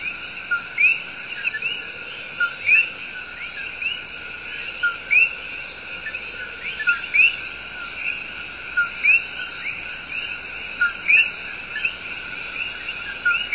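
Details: Tiny but loud coqui tree frogs in El Yunque Rainforest, Puerto Rico, giving their love song, a brief low note then an upward-sweeping whistle, from several frogs every second or two, over a constant shrill insect chorus.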